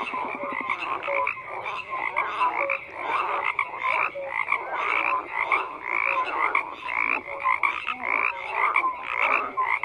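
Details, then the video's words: Frogs calling en masse, a steady wall of croaks made of quick clicking trills and scattered short whistled notes, with the loudness pulsing irregularly and no other sounds standing out. "FROGS CROAKING"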